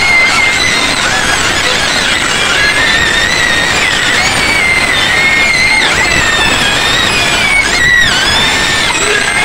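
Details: Loud screaming of white pigs in a pen near Medan, a nonstop chorus of shrill overlapping squeals that waver up and down, many animals at once, with a harsh burst near the end.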